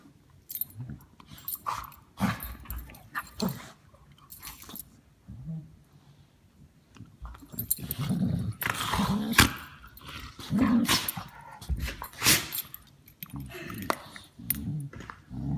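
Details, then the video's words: Dog making gremlin-like noises while playing with another dog: irregular low grumbling growls and snorts mixed with sharp scuffling bursts, louder and busier in the second half. "Dog besties play and one makes gremlin noises"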